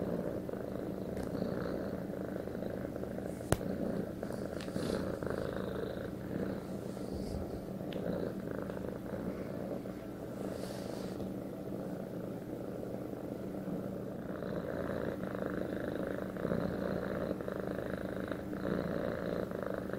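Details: Pet cat giving a long steady purr, dense low rumble pulsing with inhale and exhale, one sharp click early on.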